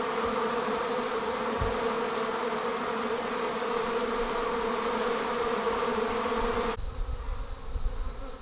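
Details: Swarming honey bees pouring out of a hive: loud, constant multi-wing droning with layered harmonics for most of the stretch, then a sudden cut to a quieter scene with a faint thin whine and low thumps.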